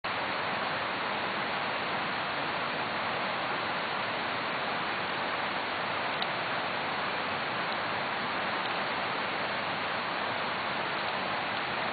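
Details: Steady broadband rushing noise like flowing water or rain by a river, with no animal voices audible.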